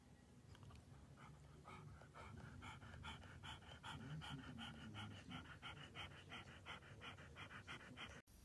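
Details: French Bulldog panting steadily indoors, quick rhythmic breaths of about three per second, each a soft airy pulse, running continuously and fairly quietly from start to finish.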